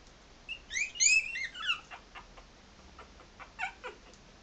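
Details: Young Maltese puppies at three and a half weeks, wandering around, let out a loud cluster of high, wavering squeals, then softer, broken squeaks trailing off.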